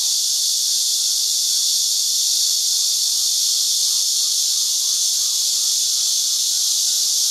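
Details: Numerous cicadas clinging to branches at a Houbi District, Tainan chicken farm and orchard, singing together in season, digital-camera recording: an even, piercing electric-like hum held for the whole stretch, little else audible.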